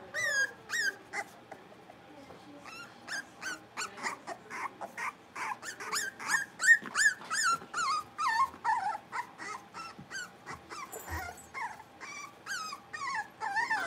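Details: Playing blenheim Cavalier King Charles Spaniel puppies, a New Year's litter of five in an indoor pen, let out a rapid, steady stream of high yips and short whines, several per second, with brief quiet patches.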